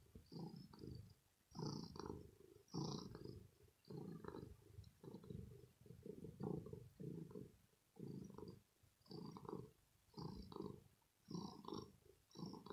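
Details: Contented purring of a female house cat after a play session: a low, throaty rumble that pulses in and out about once a second with each breath, quite even throughout, with no voices or other noise.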